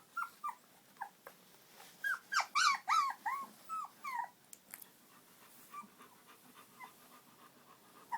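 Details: Shiloh Shepherd puppies giving high, tonal whimpers and yelps, each short note bending up then down, in quick irregular bursts that cluster loudest in the middle, with faint thinner squeaks trailing off toward the end.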